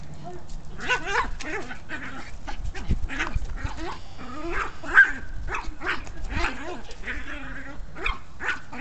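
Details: Chihuahua apparently displeased with a ball: a continuous run of harmonic grumbles, yaps and whiny growls, rising and falling rapidly for about nine seconds, with a person's speech mixed in.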